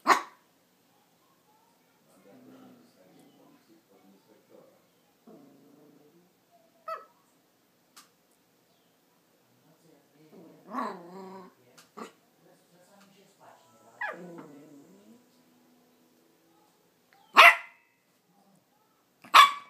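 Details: Max, a 4-month-old Yorkshire terrier puppy, barks at the camera. A few sharp, high yaps are spread across about twenty seconds, with softer whining, harmonic sounds in between and long quiet stretches.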